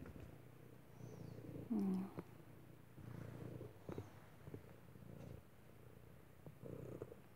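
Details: ['Unneutered male cat, trapped by accident while rescuers searched for a lost cat, sweet and curious, following a person indoors; low rumbling purr in soft pulses, one brief higher note near two seconds.']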